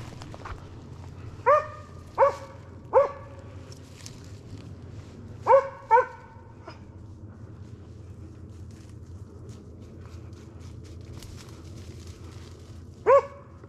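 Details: Slovakian hound named Arrow baying at a wild boar held in place during a November 2022 driven hunt with dogs in Sweden; six loud, harmonic barks, three spaced under a second apart, then a close pair, then one after a long pause, over a low hum.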